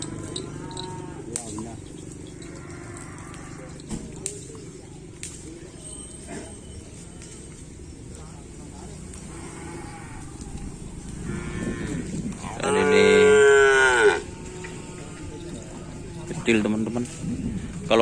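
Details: Cattle at a bull-race training session at the Asemanis field, preparing for a competition, 6 November 2022. After a long stretch of crowd murmur and talk, a loud, harmonic moo lasts over a second. Voices and background noise continue afterward.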